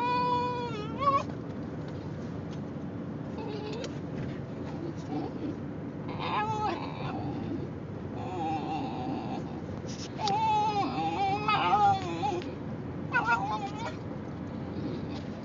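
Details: Male Basenji riding in a car makes assorted noises to alert his owner he wants a potty break: repeated wavering, bending whines and short yodel-like cries in several bursts, heard over constant road and engine noise.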